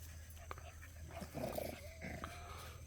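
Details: Puppies playing together, a black female among them; a short, rough growling bark bursts out mid-clip, followed by a brief thin whine, over a steady low hum and nearby human talk.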